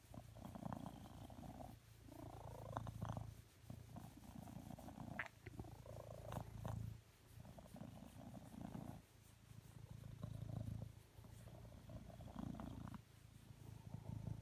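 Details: Contented purring from a male blue British Shorthair cat settled beside his owner on a sofa, asking for cuddles; deep continuous rumble pulsing in roughly two-second inhale and exhale cycles, with occasional soft rustles.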